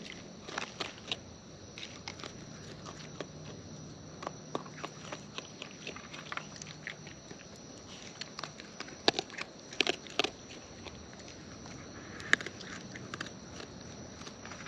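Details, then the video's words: Close-up wild raccoons feeding, with sharp, uneven crunches and bites scattered through the recording, some sharper snaps clustered midway, over a quiet natural background. "Wild Raccoons & ASMR Chewing Sounds"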